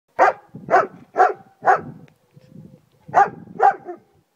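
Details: German Shepherd barking loudly across a garden: four sharp, evenly spaced barks about every half second, a brief pause with soft grumbling, then two more barks.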